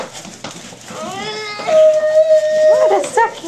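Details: Staffordshire Bull Terrier puppies, five and a half weeks old, indoors: one pup gives a steady, even-pitched whine held for over a second, with a few shorter wavering squeaks around it and a woman talking softly nearby.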